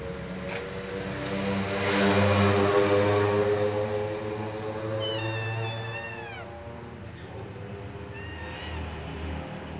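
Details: Kittens wanting to snatch a meatball from a feeding ginger cat; one clear, drawn-out meow that bends downward, then a fainter short meow, over a steady low hum.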